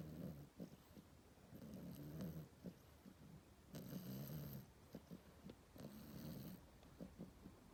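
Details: Sleeping French Bulldog puppy, sixteen weeks old, snores in the morning with low, rough rumbles repeating roughly every two seconds, interspersed with small clicking and snuffling noises.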